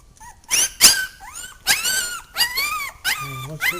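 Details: Two-week-old puppies, one of a litter of seven, fussing while picked up; loud high-pitched whines rise and bend, with short sharp squeals breaking in between, clear and close in a small indoor room.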